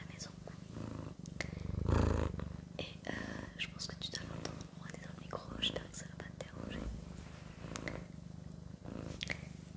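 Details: Sakura, a pet cat, purrs in a continuous low throbbing drone while a person whispers in French close by, with a brief louder rustle near the second second.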